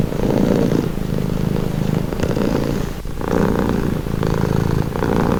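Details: Relaxing cat purr, a close, deep vibrating drone with a short pause near three seconds before the rumbling resumes in even breath cycles.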